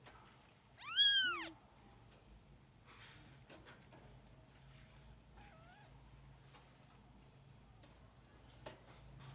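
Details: Litter of five four-week-old kittens at bottle-feeding lunchtime indoors, scrambling for milk: one loud, high, arching meow that rises then falls, later a faint short mew, over quiet room hum and small clicks.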